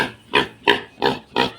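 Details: Five-month-old domestic pig kept in a pen, clamouring after spotting a person: four loud, harsh squealing grunts in quick succession, about three per second.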